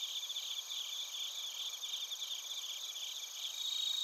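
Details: A constant shrill chorus of crickets, bell crickets among them, from Narita in Chiba Prefecture, Japan, taken with a TASCAM Portacapture X8. Rapid, evenly pulsed chirps ride over sustained high trills and grow slightly louder at the close.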